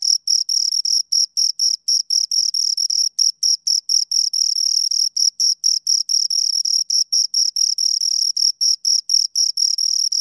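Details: Shrill chirping from two crickets, a dense train of short high pulses with occasional tiny pauses, running evenly for ten seconds without other sounds.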